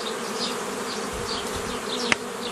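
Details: Many honey bees hum while nucleus colonies are formed the old way from a forager swarm, 15 May 2018; continuous droning buzz with flickering higher tones, a sharp click near the end.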